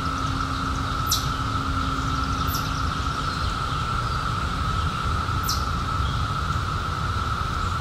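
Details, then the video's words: Cicadas from the 2021 emergence after 17 years underground, humming in a continuous even-pitched drone over low rumble, while three thin, high, falling bird notes cut in briefly. "CICADAS 🌿 Sounds"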